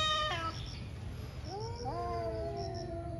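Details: One of two fighting cats in a morning scuffle: a brief sharp cry cut off abruptly, a quiet pause, then a low wail rising into a drawn-out moan, with faint bird chirps and low hum.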